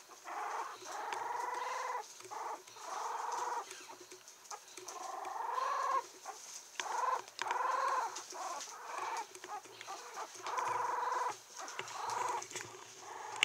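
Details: A 17-day-old female Yorkshire Terrier puppy, steel blue and tan, recorded 7 December in Kochi, gives a run of thin, squeaky whines in short repeated bursts.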